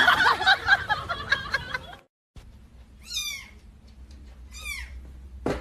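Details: Domestic cat meowing: two short descending meows, each with a bright harmonic stack, about two seconds apart, following a burst of speech and background music, then a sharp knock at the end.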